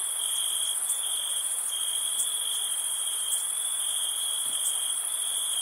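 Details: Nighttime summer crickets give a dense, ringing trill that barely wavers, with short gaps, while a thin, bright insect hiss runs steadily above it.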